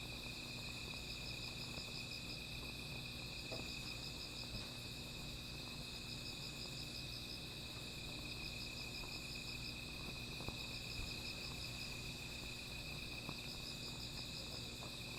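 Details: Insects calling at night beside a small fire: pulsed, high chirping trills in bursts of one to two seconds, repeating through the recording over a steady high hiss, with low rumbling background noise and occasional faint crackles.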